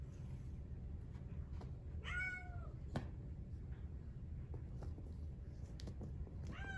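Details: A young male Exotic Shorthair kitten, brown tabby and white, born 4/6/2021, meows twice. The cries are clear, drawn-out and bending downward, separated by about four seconds of clicks and light tapping over a steady low hum.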